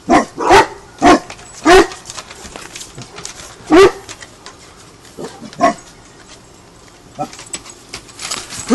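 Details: A dog learning guard duties, in a home with an English mastiff and a Basset hound, barks in a quick run of sharp repeated barks, then a few more spaced out, fading to quiet rustling, with a person urging it on.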